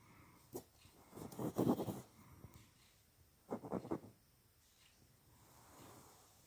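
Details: Boston Terrier named Feast the Beast playing with a hair clip indoors; two bursts of loud snorting, huffing breaths, with quieter rustling and handling sounds between.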